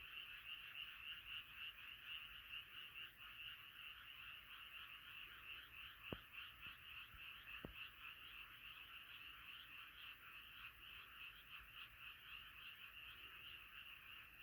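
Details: Many frogs calling together at night, a steady massed chorus of quick repeated croaks forming an unbroken trilling din, broken by two brief sharp clicks.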